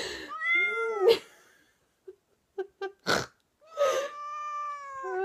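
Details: Siamese cat yowling in reaction to an owner's funny noise indoors; long, wavering harmonic meows that rise and fall, broken by a few short chirps and a sharp noisy burst near the middle before another drawn-out yowl.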